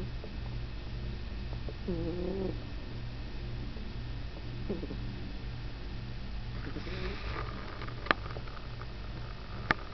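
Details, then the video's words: Sleeping cat, sound asleep on an old bed, snoring with a steady low rumble throughout; faint higher rustles midway and brief clicks near the end. "Snoring Cat"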